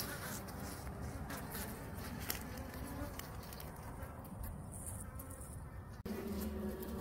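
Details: Native Korean honey bees buzzing as a beekeeper inspects a hive preparing to swarm, with four queen cells found; a rough, grainy hum with scattered clicks and handling knocks, cut sharply near six seconds.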